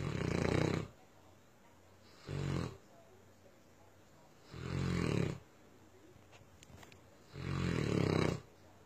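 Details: Tosa Inu Myah breathing in loud, coarse, snoring rasps, four thick low bursts of uneven length with quiet gaps between them.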